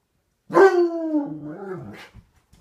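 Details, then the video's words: Dog answering a neighbour's dog with a single howl that starts high and slides down, then breaks into a low grumbling drop, with a couple of soft noises after it. "talking to the neighbors dog"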